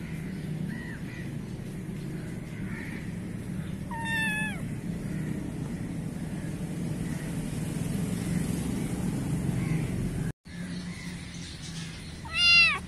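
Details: Black kitten in a garden in Pakistan giving two short meows with stacked harmonics, about eight seconds apart, over steady low traffic rumble and faint bird calls.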